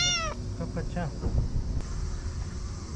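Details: Affectionate stray cat at an evening fishing port in Japan: a sharp meow at the start followed by a string of short, falling chirp-like mews, with a person's quiet voice and low background rumble.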